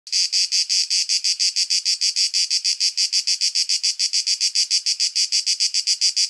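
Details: Male cicada singing in nature, captured with a shotgun condenser microphone: a harsh, rasping buzz pulsing about seven times per second in a steady, unbroken train, with no other sounds.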